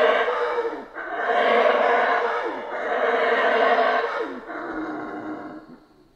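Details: Howler monkeys in the Central American rainforest: deep, rough roaring howls swelling in long surges of about a second and a half, several bouts rolling one into the next before tapering away at the end.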